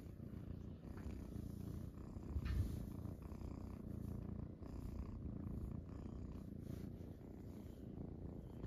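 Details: Purring Munchkin kittens on a person's belly early in the morning; a steady low buzzing rumble continues the whole time, briefly swelling with a rustle of movement near the middle.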